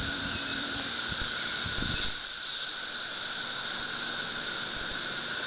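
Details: Dense chorus of thirteen-year periodical cicadas covering a tree, an emergence reaching up to 1.5 million per acre; a continuous high droning whine with a steady band and a fainter lower tone, swelling briefly around two seconds.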